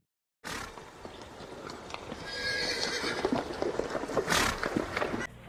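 A horse gives a long, quavering whinny that climbs and then falls, over a busy background of clatter and snorting bursts.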